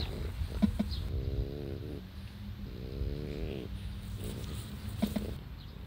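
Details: Old French Bulldog, twelve years old, recorded on 16 July 2016: two drawn-out, low, harmonic groaning whines of about a second each, separated by a short pause, over a steady low hum.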